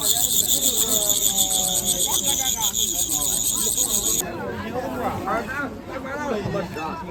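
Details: Crickets sold at a busy weekend market in Jinan, Shandong, China, where buyers keep them as pets to listen to. A dense, shrill, rapidly pulsing trill fills the first four seconds, then stops, with steady market chatter and speech throughout.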